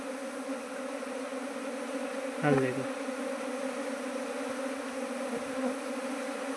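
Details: Asian honey bees humming around kept hives, where a box for trapping swarms has been swapped for a modern hive. A continuous low drone holds throughout, broken by a short human vocal sound near the middle.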